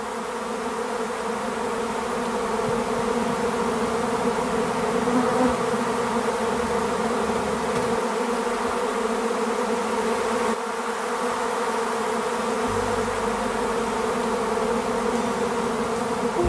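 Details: A large swarm of honey bees being caught and removed from a tree by a beekeeper in the Tuscan Maremma countryside in spring, the colony having left an overcrowded hive with a queen; dense, continuous droning hum with steady layered tones throughout.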